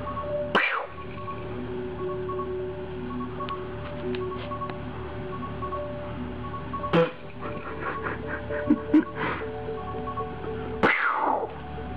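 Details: Light music with marimba-like and chime tones, punctuated by a few sharp swooshing effects, with no animal sound heard.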